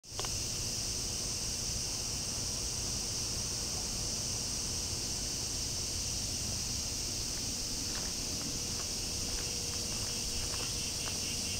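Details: Bear cicada singing in summer heat during mid-summer vacation: a dense, steady, high-pitched buzzing drone that holds without a break, with faint ticking and tapping sounds in the background.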